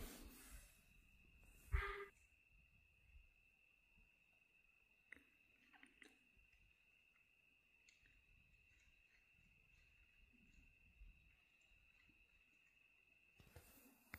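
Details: Near Morghatti Forest Rest House in Jim Corbett National Park, a sambar deer gives a single loud, abrupt honking alarm bark over a steady insect drone as a tiger comes near.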